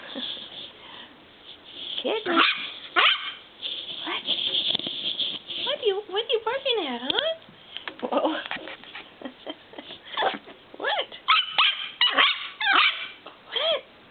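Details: Nine-week-old purebred miniature schnauzer puppy, new to a home, recorded 11/14/09, barking at a noise: sharp high yips and barks in irregular bursts, with a whining squeal midway, while a person keeps talking over them.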